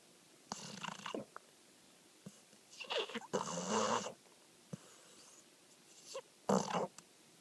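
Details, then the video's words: American Pit Bull Terrier, a rescued dog two months off the street, asleep and snoring with sleep-talking noises: several rough, breathy bursts of varying length separated by quiet pauses, the longest about a second. "Pony the Pitbull Snoring and Sleep-talking"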